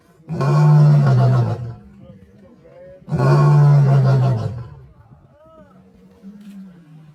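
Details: Lion giving two long, deep, rumbling roars, each lasting over a second and spaced about two seconds apart, with a quieter low hum between and after them.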